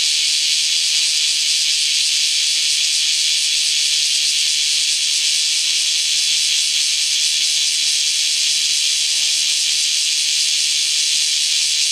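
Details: Bear cicadas in Kyoto, Japan, singing in the morning, resuming right after rain stops: a steady, dense, high shimmering hiss that never pauses, many insects blending into one continuous wall of sound.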